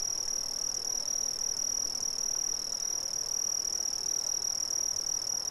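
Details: A dense chorus of crickets from Brazil: a steady, shrill ringing trill with a thin, higher overtone that flickers slightly, over soft, even background noise.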